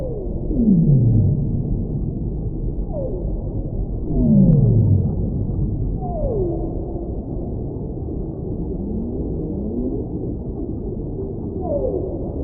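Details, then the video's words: Whale song: a series of falling, swooping moans, some high and some deep, repeating every second or two against a continuous low oceanic hum. "Whale Sounds"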